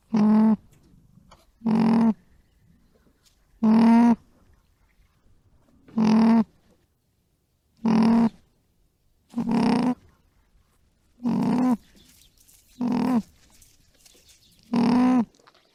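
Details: Alpaca humming: eight to nine short, steady, low tonal hums with rich overtones, each about half a second long, spaced roughly two seconds apart, with near silence between them.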